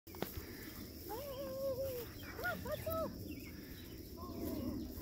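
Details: Dolphin, a nine-week-old male Weimaraner puppy, outdoors running around with his father Pretzel and his friend Pizza: a series of high, wavering whining yelps that rise and fall, with his name called out shortly after.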